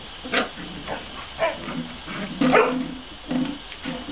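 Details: Border collie puppies playing and cooling off under a fine hose mist on a hot day; short yipping barks and squeals burst out about every half second to second, with spray hiss underneath.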